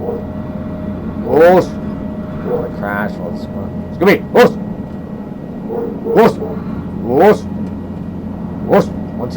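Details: A household dog in the background gives short, sharp barks every second or two over a man talking and a steady engine hum.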